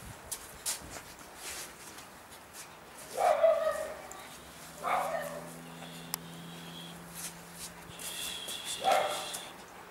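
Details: Lhasa Apso puppies from a co-operative breeding in Schleswig-Holstein, Germany: three short, harmonic yelps or whimpers spaced a couple of seconds apart over a low steady hum, with faint background noise between them.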